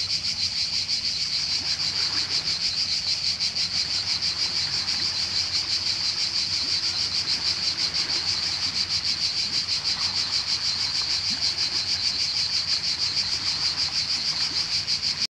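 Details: A cicada's shrill, steady buzzing drone runs without a break from start to finish, recorded with sea waves in Croatia.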